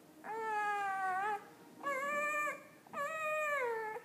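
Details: Week-old puppy making talking noises; three steady, nasal whimpering cries about a second long with brief gaps, slightly falling at the ends, no other sounds.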